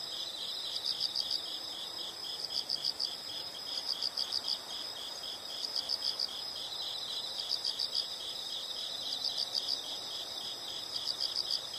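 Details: High insect chirps in clusters of four or five quick pulses, repeating about every one and a half seconds, over a constant faint shrill buzz and soft background noise.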